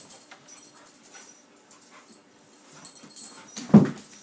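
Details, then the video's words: Two puppies from the same litter, one white and one black, play-fighting indoors; mostly quiet scuffling and light breathing, then one short low growl near the end, with a person talking softly. "Puppy rumble"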